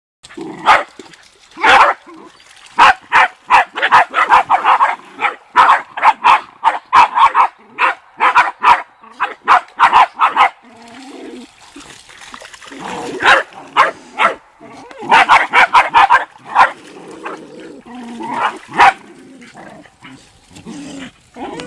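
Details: Welsh Terrier swimming out to fetch a ball, giving dense bursts of rapid, excited barks and yelps, a quieter stretch near the middle, then another flurry of sharp barks.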